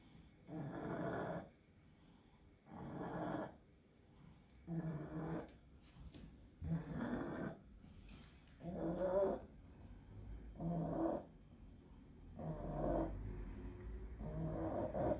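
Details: Pug with encephalitis struggling through an epileptic seizure: loud, raspy snorting breaths in regular bursts about every two seconds, eight in a row, with quiet gaps between.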